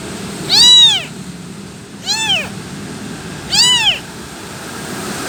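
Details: Kitten left without its mother calls to her: three high, arched meows, the middle one quieter and shorter, spaced about one and a half seconds apart over steady low background noise.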